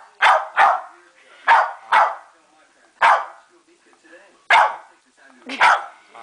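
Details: A female Westie demands her dinner with seven loud, clipped barks, several coming in quick pairs, while a person speaks to her quietly between the barks.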